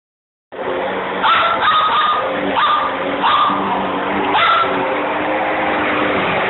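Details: A Miniature Schnauzer gives sharp, repeated barks at a running vacuum cleaner over its steady roar.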